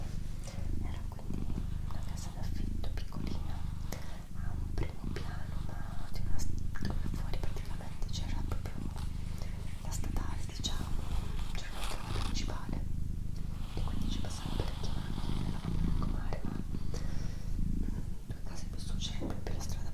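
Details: Low continuous purring from the pet cat Doroti, pulsing with each inhale and exhale, while a person whispers softly close by throughout.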